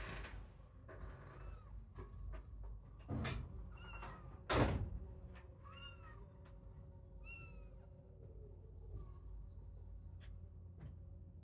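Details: Kittens starting to wander from their siblings around a playpen also holding sheep; a series of short, high, arched mews every second or so, with two loud thumps early on and a steady low hum.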